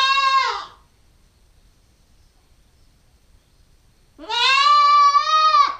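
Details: Nubian goat kid, a 9-week-old female, bleating twice: a short harmonic-rich bleat that falls away, then after a few seconds of silence a longer, steady, nasal bleat lasting over a second.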